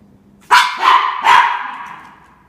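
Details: Norfolk Terrier, less than a year old, confronting a cat: three loud barks in quick succession, each abrupt and harsh, the last trailing off over about a second into a quiet room.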